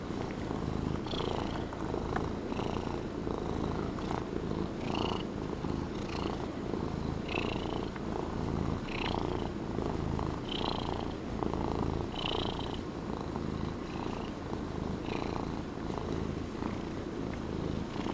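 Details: Relaxed Norwegian Forest Cat, a fluffy house pet, purring loudly indoors: a continuous deep rumble with regular breathy surges roughly every one to two seconds.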